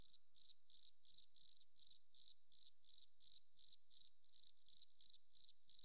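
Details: A forest cricket sings a high, pure chirp in evenly spaced pulsed bursts, roughly three each second, with a thin steady tone underneath and nothing else audible.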